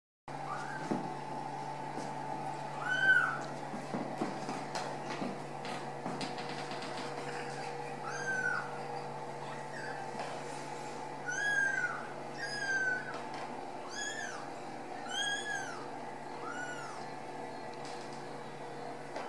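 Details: Ragdoll kittens raised at home without cages at a cattery in central Kansas, giving high, arched mewing cries in scattered bursts, several in quick runs near the end, over a steady electrical hum and occasional knocks.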